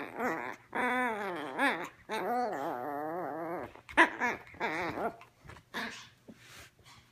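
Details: Ball-obsessed teacup Yorkshire Terrier puppy Ricci whines insistently in long quavering bursts that bend up and down, followed by shorter yips and a sharp click, over a faint steady hum.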